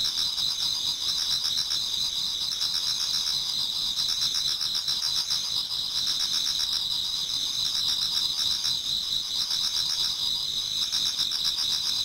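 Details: Autumn insect chorus in a Japanese garden as dawn approaches, many singers at once: continuous shrill ringing bands overlaid with rhythmic pulsed trills, swelling in bursts every couple of seconds.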